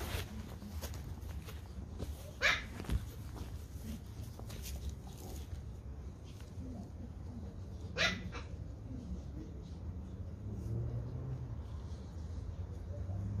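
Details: Pomeranian Toy Pom puppies playing in a garden; two short, sharp yips or barks stand out, one near the start and one midway, over a steady low rumble of background noise.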